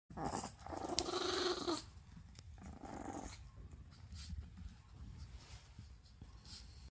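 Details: A toy poodle indoors growls after being scolded for finding a senior Chihuahua's food: a harsh, rumbling growl for nearly two seconds, a shorter second growl, then quieter low grumbling and room noise.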